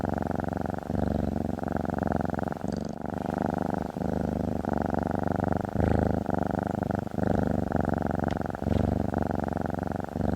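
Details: Female pet cat resting on a desktop, giving a long, even purr, a deep buzzing rumble pulsing in time with her breathing, broken by short breath gaps about every second or so.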